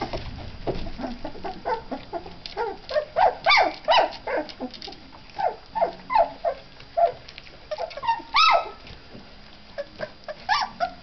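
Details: Three-week-old puppies at their first meal of milk and mixed food, giving a busy stream of short squeaky whimpers and yelps, overlapping and irregular, several each second.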